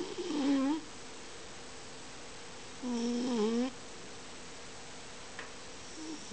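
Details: Deeply sleeping Miniature Dachshund, twitching, snoring louder as sleep deepens: two wavering, nasal tonal snores about three seconds apart, each under a second long, with quiet room hum between.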